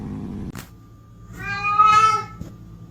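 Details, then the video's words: Pet cat meowing indoors: after a soft low murmur, one drawn-out, strongly harmonic meow rises and holds steady for about a second, with faint low background hum. "Talking cats"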